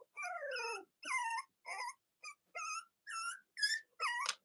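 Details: A Cavalier King Charles Spaniel puppy from Robin and Myra's litters gives a long falling whine, then a string of short, sharp, high squeaks at roughly half-second intervals, indoors.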